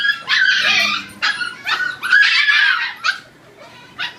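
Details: Siberian Husky puppies at dinner time, eating, whine and yip in excited, overlapping bursts of high, squeaky calls.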